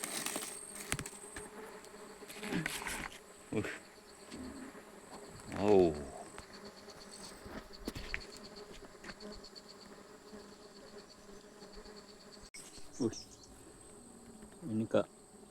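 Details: Low continuous hum of stingless bees during honey harvesting, 24 June 2026, with a faint higher overtone, overlaid by knocks, rustles and brief scraping from the work, including a louder burst midway.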